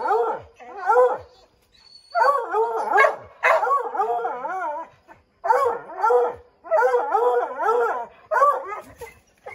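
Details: A pack of five Redbone Coonhounds bays at a treed chipmunk in an oak, trying to send it scrambling down; a continuous chorus of wavering, overlapping howls and barks in long bursts with brief pauses.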